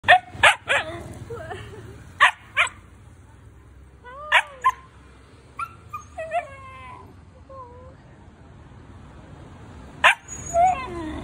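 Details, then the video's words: Siberian Husky puppy talking: short sharp yelps and barks in quick clusters, then wavering, rising and falling howl-like whines and yodels, ending with another yelp and a drawn-out whine against a quiet room. "Husky Puppy Dog Typical Talk"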